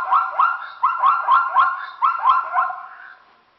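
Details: A Burchell's zebra in a herd drinking from a temporary pool along the S130 in Kruger calls with a rapid, nasal, yelping bark. The harmonic yelps come about four per second, then fade away at the end.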